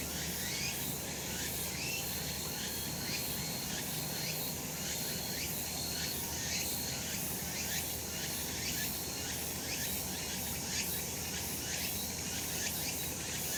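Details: Summer mountain cicadas in the sun: a continuous shrill buzzing chorus, pulsing roughly every second, with a thin steady whine above it and a low background hum throughout.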